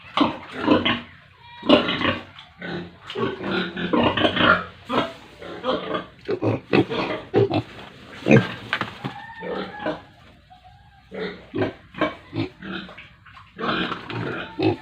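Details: A herd of pigs and piglets on a village farm in India: overlapping harsh grunts and squeals in quick, uneven bursts, with a short pause midway before the chorus resumes.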